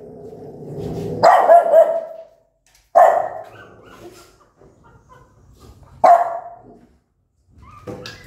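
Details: Angry mother dog barking loudly at her newborn puppies: three sharp, harmonic barks roughly three seconds apart, the first preceded by a low continuous growl, with a short bark starting at the end.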